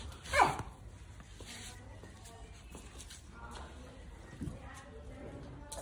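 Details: Labrador Retriever puppies: one sharp, loud, high yelp sweeping downward near the start, then a fainter short yelp a few seconds later, over steady low background noise with some indistinct talking.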